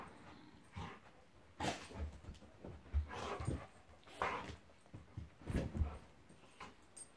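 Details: Monty, a Golden Retriever, play fighting with Eric the Labrador: low rumbling growls and gruff vocal bursts in uneven clusters, with scuffling between them.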